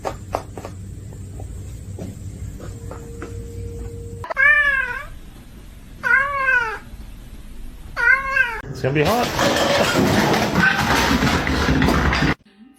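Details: Domestic cat giving three clear, arching meows spaced about two seconds apart, each rising then falling, after a stretch of faint tapping and a steady tone, then cut off by a burst of loud rushing noise.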